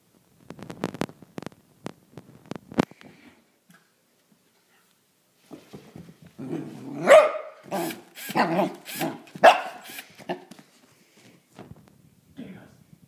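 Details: Gus, a six-month-old cross of Pembroke and Cardigan corgi, reacting to a drill: scattered clicks and soft yips at first, then after a quiet gap a dense flurry of harsh, noisy barks and snarls before trailing off into low grumbles.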